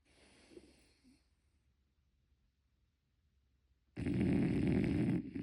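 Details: French Bulldog snoring in its sleep, no editing. After a few seconds of soft breathing, one loud, coarse, rumbling snore lasting about a second and a half closes the recording.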